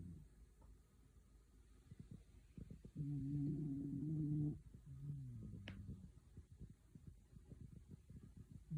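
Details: A dog dozing happily indoors gives one low, vibrating snore of about a second and a half, then a shorter, softer snore trailing off, amid faint rustles and a brief click.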